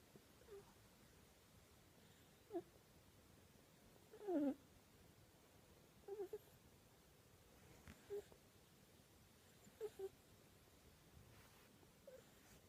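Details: Sleeping kitten named Ryu making odd snore-like breathing noises in its sleep: faint, short squeaky wheezes at irregular intervals of one to two seconds, one louder squeal near the middle, over a quiet indoor background.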